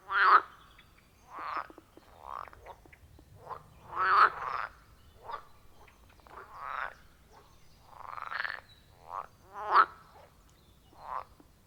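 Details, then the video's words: Wild frogs at a quiet forest pond, iPhone 14 Pro with Shure MV88+: separate upward-sweeping croaks spaced about a second apart, some louder and closer, with quiet gaps between calls. "30 Minutes of Frog Sounds at a Forest Pond"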